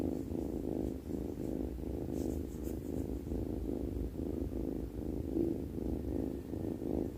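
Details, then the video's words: Snoring from a sleeping cat: soft rumbling breaths come in rhythmic low swells, close and continuous for several seconds, with a brief faint rustle partway through and otherwise calm surroundings. "snoring sleepy cat"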